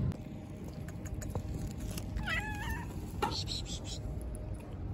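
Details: Street cat from a city neighbourhood giving a single wavering meow of about half a second that bends up and down in pitch, over steady traffic rumble with a brief clatter and faint voices.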